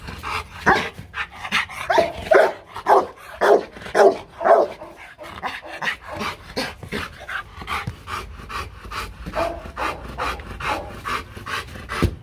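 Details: Rottweiler Marvin in a playful training session to bark on command. A quick series of sharp barks comes early, then breathy rhythmic panting continues in fast, even pulses to the end.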